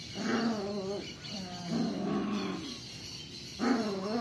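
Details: Puppy barks from Melen and Oso, Belgian Shepherd crossed with German Shepherd at 35 days old: three rough, harmonic growl-barks about a second apiece, separated by short pauses, loud and close.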